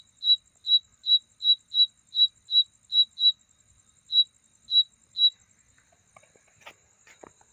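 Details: A night insect gives clear, high, pure chirps, repeated several times a second, then slowing and stopping; described as a mating sound.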